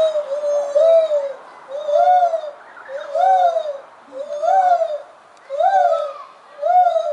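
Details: Very vocal lar gibbons at Mogo Zoo, Australia give loud, arched hooting notes, each rising then falling, repeated about once a second.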